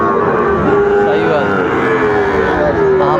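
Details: Sahiwal bull calf at a cattle market in Bogura, Bangladesh, on 19 August 2024, giving a long, steady, drawn-out moo with little change in pitch, over loud market chatter and men bargaining.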